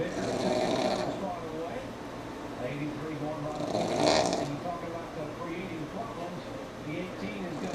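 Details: Sammi the pug snoring while asleep through NASCAR on in the room: two loud, rasping, breathy snore bursts about three seconds apart, with voices and a low engine-like drone running underneath.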